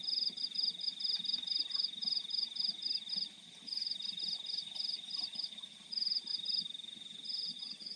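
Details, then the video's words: Night-time crickets in fields, giving rapid high pulsed chirps in regular trains, each train of about six to eight bursts followed by a brief pause, layered over a constant shrill tone and faint low background noise. "The Sound of Crickets in the Fields at Night"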